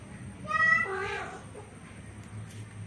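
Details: Orange male cat pursuing a female to mate lets out a single loud, rich meow that swells quickly and then drops into a lower, fading tail, with a quiet low hum behind it.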